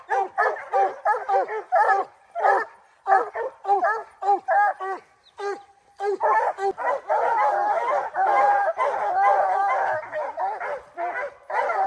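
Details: Rocky, a bear hound on his first opening day of the black bear training season in July 2024, gives loud, rapid chopped barks and drawn-out bawling howls, roughly a hundred per minute, with brief pauses.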